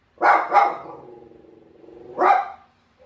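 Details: Bichon Frise dog giving two sharp barks in quick succession, then a long drawn-out whining tone of about a second and a half, ending with one more bark.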